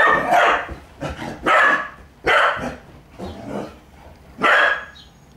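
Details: Playful puppy yapping at a kitten in attack mode: loud, clipped barks in quick succession, roughly one every half to one second, some paired, over a quiet indoor background.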